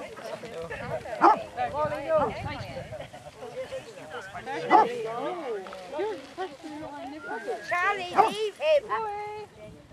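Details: Pack of 22 Basset Hounds walking round Belwade Farm, Dess, Aboyne, Scotland, on 2 October 2016, giving a loud overlapping chorus of wavering, arched bays and yelps that rise and fall, with several hounds calling at once.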